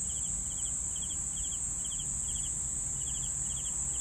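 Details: Rhythmic cricket chirping, small pulsed bursts recurring about every half second, somewhat softer, beneath a loud unbroken high whine with low rumbling underneath.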